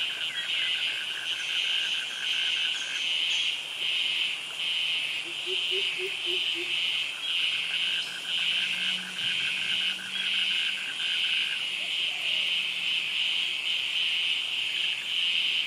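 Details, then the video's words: Cicadas calling in a tropical jungle in Krabi, Thailand, among mangroves and forest trees: a loud, steady high buzzing drone that pulses gently about once a second, with a thinner cricket trill running beneath and a few soft low chirps. "Cicadas Virtual Walk Through Jungle - Krabi - Thailand with Cicadas and Crickets Sounds"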